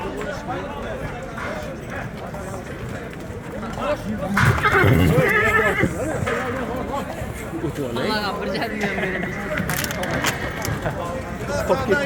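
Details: Horse for sale in Uzbekistan, a grey mare of Polish breed, aged four and over 170 tall, giving a loud wavering whinny lasting about two seconds midway, with men talking nearby and hoof clopping.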